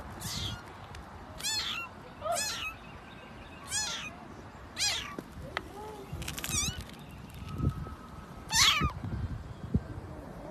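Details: {'caption': 'Domestic cats in a short funny compilation, giving a series of drawn-out, wavering meows roughly every second or two, some rising then falling, with brief knocks and faint background hum between calls.'}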